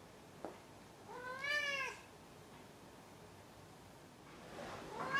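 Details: Domestic cat giving one clear meow lasting under a second, arched in pitch with rich harmonics, followed by the start of a second call, in a quiet indoor setting.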